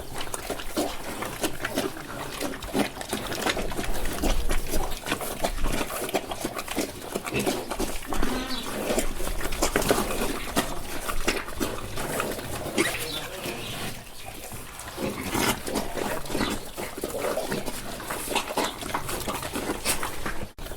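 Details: Several pigs eating on a farm: constant dense crunching, chewing and snuffling with soft grunts blending together, a busy, steady texture throughout with no clear pauses.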